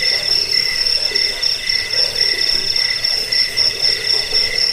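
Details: Chorus of crickets: bright, piercing high trills that stutter rapidly and overlap, with a fainter lower band of chirps pulsing unevenly underneath, steady in loudness throughout.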